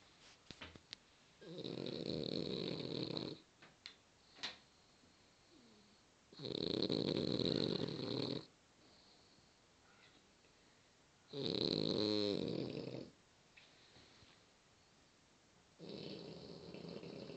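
Loud, buzzy snores from a French Bulldog come in drawn-out rasping bursts of about two seconds each. Quiet pauses of a few seconds separate each breath.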